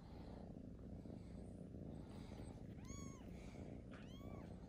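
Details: Newborn kittens alongside their big brother and sisters: two brief, high, arched mews about a second apart, half-buried under a loud, constant low rumble.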